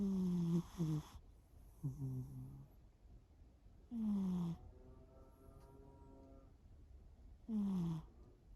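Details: Snoring from the sleeping cat Shimao: raspy snores with a downward-sliding whistle, some doubled or stuttering, arrive every few seconds. A faint, steady tonal hum fills one quiet gap.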